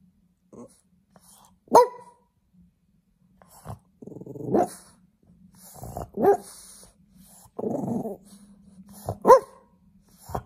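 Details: French Bulldog puppy barking for attention: several short sharp barks scattered across the recording, some with low growly stretches in between, over a faint steady hum.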